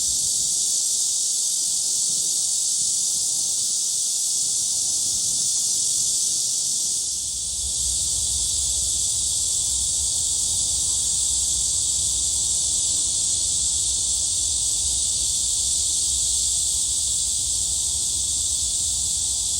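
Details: At Gwangalli Beach, cicadas keep up an unbroken, high, sizzling buzz. It dips briefly around seven seconds. After that a low rumble joins underneath while the insect drone carries on steadily.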